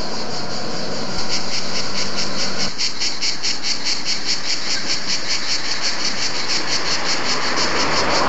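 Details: Cicadas sing a high, shimmering buzz pulsing in rapid, steady waves over a low background rumble, at Bordighera, Italy.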